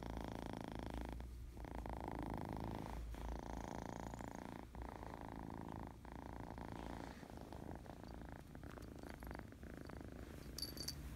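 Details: Happy, playful kitten purring steadily, a dense low rumble with energy concentrated in the bass, pulsing in regular breaths broken by short pauses near one and three seconds; faint high squeaks toward the end.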